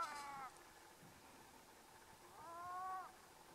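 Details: Two Canada lynx squabble over dead meat buried in the snow in the Yukon, giving two drawn-out, nasal, wavering yowls. The second yowl is long and rises slightly.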